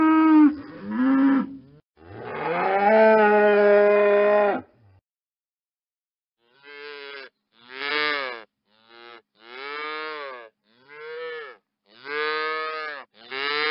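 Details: Cow lowing: a wavering call and a long, strong moo, a few seconds of silence, then a run of short, rounded moos, roughly one and a half per second, irregular in timing.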